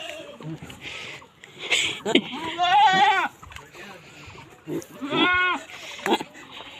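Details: On a Boer goat farm in Nepal, two wavering, trembling bleats sound a couple of seconds apart amid human voices, rustling and handling noises.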